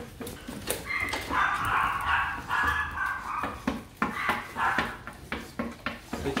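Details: Dogs at the Gervi kennel greet their owner, home after a three-day work trip, with excited high whines in two drawn-out bursts between sharp clattering knocks, while a person talks to them.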